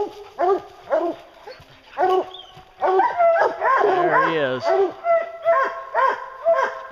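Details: Hounds named Lucy, Ricky and Canny bay at a bear they have treed during a hunt; several dogs overlap in loud, rhythmic, ringing barks about twice a second, with a brief lower sound mixed in midway.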